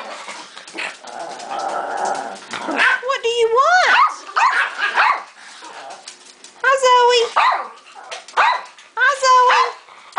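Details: Several pet dogs, among them a Chihuahua, greeting people indoors: high, drawn-out whining yelps that rise and fall, in bursts around a second long, repeated three times, with a woman talking to the dogs throughout.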